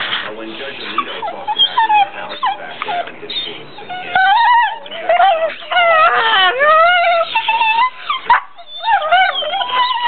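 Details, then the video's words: Pit bull brothers at play in bed, in place of barking, first soft grumbling whines, then loud wavering howl-like yowls and yips sliding up and down in pitch, overlapping each other. "pit bulls playing more crazy pit bull sounds"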